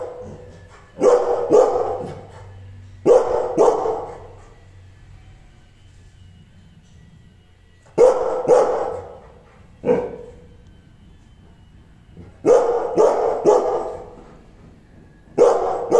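An angry Rottweiler barks deeply in quick pairs and triplets, with short pauses between bursts.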